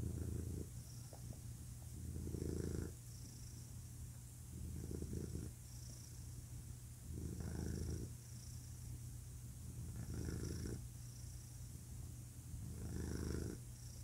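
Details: Male pet cat purring, a low rumbling drone that rises into a stronger, rougher burst roughly every two and a half seconds with each breath, steady and rhythmic throughout.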